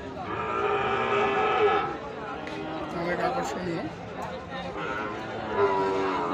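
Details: Sahiwal bull calves for farming at Ambari cattle market (haat), 12 May 2023; one drawn-out, steady harmonic moo lasts about two seconds, followed by the chatter of a crowd of people.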